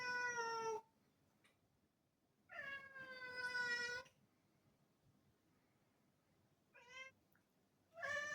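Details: Black cat meowing to ask for a door to be opened: three harmonic meows, a short falling one, a longer drawn-out one, then a brief one and the start of another, separated by quiet pauses indoors.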